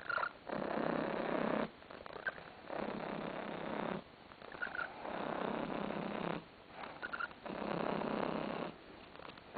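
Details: Relaxed house cat Tarasik lies on a sofa purring: long rough rumbling stretches of two to three seconds alternate with short quiet breaks, and faint little creaking squeaks appear between phrases.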